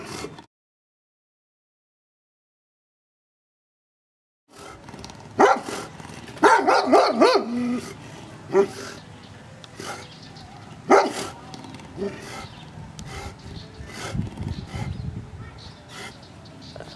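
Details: Anatolian Shepherd Dog at a window barking at workmen and at people walking down the street; after a silent gap, a volley of sharp barks in irregular bursts, about four per second at peaks, with background noise.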